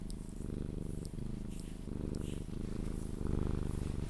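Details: Sphynx cat purring during cuddles until it falls asleep; loud, close, pulsing rumble in rapid regular beats, swelling slightly toward the end.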